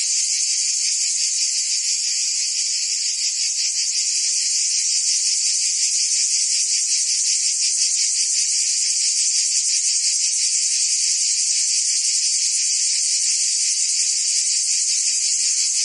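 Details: A summer chorus of cicadas in Provence, southern France, keeps up a constant piercing buzz, finely pulsed and rattling, holding an even level from start to finish without pause.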